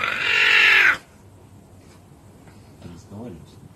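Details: Caracal giving a harsh, airy hiss of about one second that stops abruptly, followed by near silence and a few soft human words in Russian.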